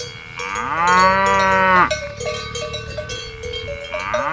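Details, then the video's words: A cow gives one long, drawn-out moo that rises at the start, holds steady and cuts off sharply. Irregular metallic cowbell clanks ring afterward, and another moo begins at the very end. "Cow mooing || cow voice videos"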